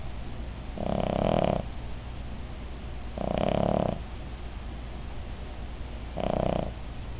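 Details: A sleeping female Cavalier King Charles Spaniel named Midge snores loudly. Three raspy, vibrating breaths come roughly every two and a half seconds, each swelling and fading, separated by near-silent pauses over a low hum.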